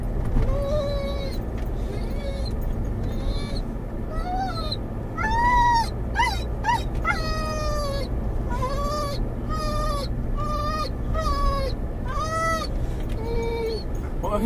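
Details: Whining from a Doberman/collie cross named Mungle, muzzled in a moving car, calling for his lost Moromom toy: a long run of drawn-out, arching whines, each bending up and down, repeated every second or so, with road noise beneath.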